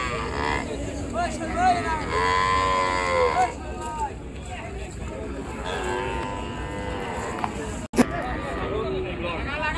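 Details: Cows unloaded at a popular village cattle market by the river, giving long, harmonically rich moos, one swelling and then dropping, a second lower and softer, amid continuous market bustle and a sharp knock.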